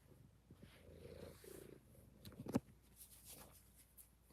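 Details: Kittens in an indoor Kitten Cuddle Room purring; a soft, low, pulsing rumble fills the first two seconds and then fades, broken by a sharp knock and faint rustling.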